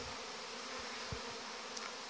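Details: Honey bees on 17 August, young bees making their orientation flight in large numbers near the hive entrances. A dense, steady, even buzzing hum with a low band throughout, and a few brief low thumps.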